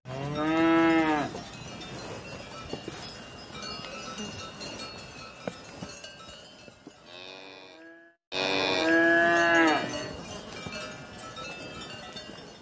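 A cow gives two loud, drawn-out moos, with cowbells clanking steadily in between.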